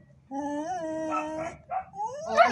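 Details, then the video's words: Siberian Husky arguing: a smooth, tonal howl-like call held steadily for about a second, then broken, rising whines that climb in pitch and end in a strained, louder yelp. "HUSKY ARGUING"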